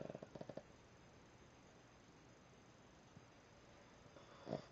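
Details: Snickers, a sleeping Boston Terrier, snoring: a brief rattling, fluttering snore at the start, a stretch of soft hissy quiet, then another short vibrating snore near the end.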